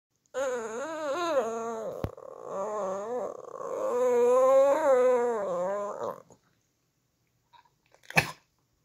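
A Shih Tzu sings in long, wavering, tuneful howls that rise and fall for several seconds.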